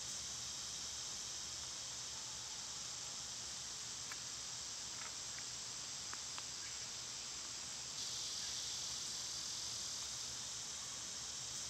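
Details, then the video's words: Cicadas in summer make a continuous high buzzing wash. Near the end the drone grows louder and brighter. A few faint chirps and short ticks are scattered through the middle. "Birds & Squirrels w/ Cicada sounds"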